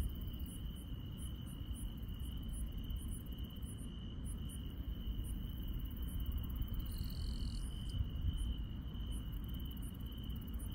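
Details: Insects at night in rural countryside produce a sustained high-pitched trill, topped by very high ticking chirps repeated about every half second, over a persistent deep rumbling background noise.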